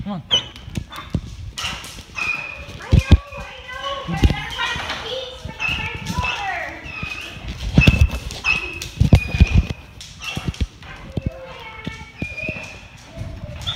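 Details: Joyful Great Dane greeting its returning owner with a long run of high, wavering whines and squeals, mixed with excited people's voices, clattering paws and thumps.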